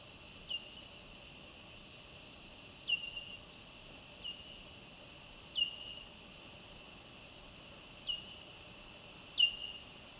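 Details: Ultrasonic bat calls recorded at night with Micbooster Clippy Ultra microphones on a Zoom F3, slowed sixteen times to be audible. Six short downward-sweeping chirps, each trailing into a softer tail, spaced roughly two seconds apart over a steady hiss.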